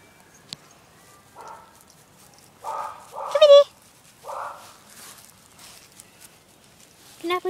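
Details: A small pet dog barking at the neighbour's dog: a few short, muffled mid-pitched barks in a quick cluster, then one more, with the owner talking and calling to her over them.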